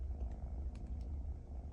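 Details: Bambam, a playful pet kitten that keeps biting, purrs while being scolded: a steady, low, pulsing rumble throughout, with a few faint clicks and rustles above it.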